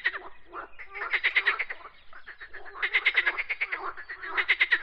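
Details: Croaking frogs: rapid trains of raspy, pulsed croaks in bursts about a second long, two main bursts with softer overlapping calls between them, like a small chorus.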